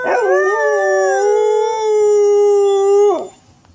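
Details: Dog giving a loud, sustained howl lasting about three seconds, opening with a brief rising onset, then holding a steady mid-pitched tone rich in harmonics before breaking off abruptly.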